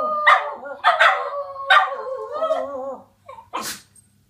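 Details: Border Terriers give a few sharp barks that slide into a drawn-out wavering howl, which fades into quiet before one brief loud noise near the end.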